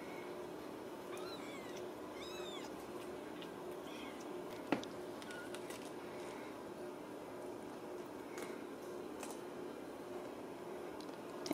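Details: Ragdoll kittens, home-raised without cages at a cattery in central Kansas, give several thin, high, arched mews between one and three seconds, then a fainter one; a sharp click follows, over a steady indoor hum.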